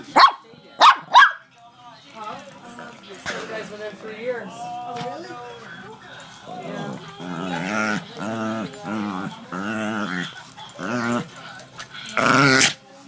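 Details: Shih Tzu, one of two pet dogs, gives three sharp, loud barks in quick succession at the start and one more near the end. A human voice talks through the quieter middle stretch.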